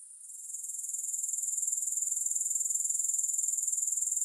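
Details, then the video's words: Grasshopper sound fading in from near quiet to a loud, high, evenly pulsed trill held steady to the end, with no music. "3 Hours of Grass Hopper Sounds to help you Sleep, Focus & Relax."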